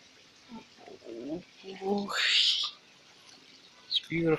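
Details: Pet Alaskan Malamute dog giving a short series of low, rising and falling woo-like vocal sounds, followed by a brief breathy rush and a final harmonic yelp, with faint bird chirps in the background.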